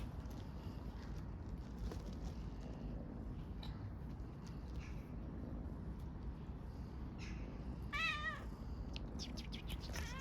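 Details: Stray kitten living in a backyard in Istanbul purrs while asking for love and food; a steady low rumbling purr runs throughout, with one short rising meow near the end and faint clicks around it.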